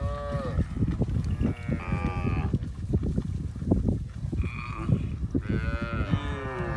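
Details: Cows roaming a village give repeated moos, some rising and some drawn out, over constant low rumbling and thumping noise.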